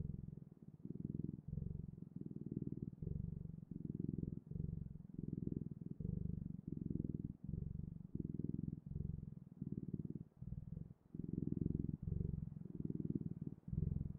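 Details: Cat purring in a quiet room: deep, continuous rumble broken into regular inhale and exhale cycles roughly every seven tenths of a second, fourteen seconds of unbroken purring.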